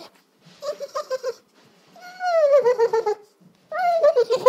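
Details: Sisko, a pet dog, makes funny noises at dinner time: three bursts of drawn-out, wavering whine-like vocal sounds with bright overtones. The second is long, sliding slowly downward and pulsing, with short pauses between bursts.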